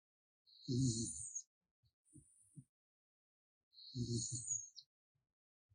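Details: Raccoon Gaettong-i snoring in its sleep, two rough low breath rasps about three seconds apart with airy hiss, faint small clicks and rustles between them in a quiet room.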